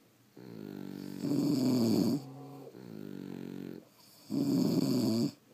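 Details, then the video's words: Two French Bulldogs asleep indoors, snoring: a quieter inhaled rasp followed by a louder, buzzy, low-pitched snore, the pattern heard twice across a few seconds in a small room. "Snoring French Bulldogs"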